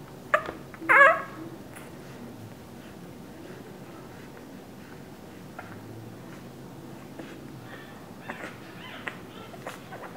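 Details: Two-week-old English Bulldog puppies give a couple of thin, high squeaking whimpers, then quieter faint squeaks.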